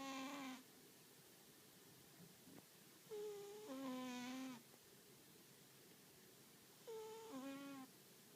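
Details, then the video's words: American Shorthair cat taking a noon nap, snoring heavily: three bursts of steady, nasal, buzzy tones, each about a second long with a short gap inside, spaced a few seconds apart in quiet surroundings. "我が家の大いびき猫 可愛いすぎるアメリカンショートヘア"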